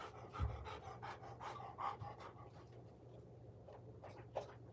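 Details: Golden Retriever recorded by a surveillance camera, breathing in rhythmic huffing pants with a few louder gusts, over a constant low hum in a quiet room.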